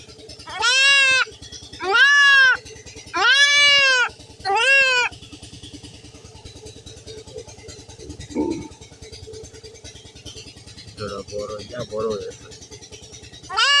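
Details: Castration of a goat kid: four loud quavering bleats in quick succession, roughly one per second, then quieter short cries and a steady rhythmic engine-like thrum in the background.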